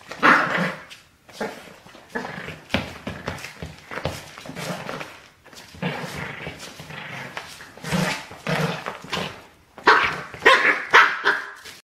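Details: Playful Border Terrier puppy, seven weeks old, tugging at shoelaces; a long run of small growls and yappy barks in irregular bursts, louder clusters near the end, with rustling and chewing sounds throughout.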